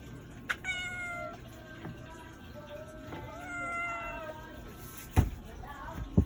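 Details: A domestic cat gives a series of soft, wavering meows, one longer rising-falling call in the middle, with sharp knocks or clicks near the end and a steady low background hum.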